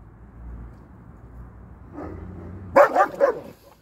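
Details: Dog in a home with a German Shepherd and an Alaskan Malamute, the shepherd at first scared of the malamute: after quiet low murmuring, three sharp, loud barks come in quick succession near the end.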